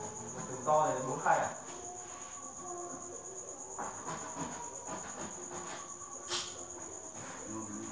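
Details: Farmed crickets at the Thanh Bình cricket farm at 8 pm, a steady high-pitched continuous trill running without a break, with soft voices and a few clicks and knocks at the start and around the middle.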